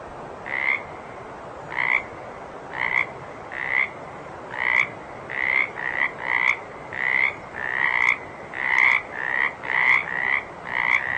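A water frog gives short, rattling croaks, repeated roughly once a second over a steady hiss.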